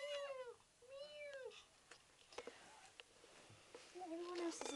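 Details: Young kitten, five weeks old, begging to play: lower, plaintive meows, two in quick succession, then a third after a pause, with clicks, rustles and faint speech in a small room.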